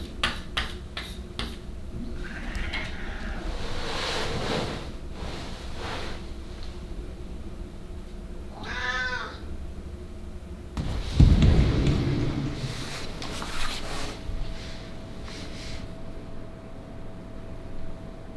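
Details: Ragdoll cat on a day of heavy snow in the countryside, eager to play in the garden; a single short meow with stacked harmonics near the middle, surrounded by rustling, handling knocks and a low steady hum.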